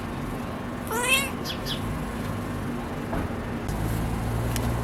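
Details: Siamese cat named Jessica, sleepy while birds keep calling, gives one short bright rising-then-falling chirp with rich harmonics near the start, followed by a couple of fainter soft sounds over a steady low hum.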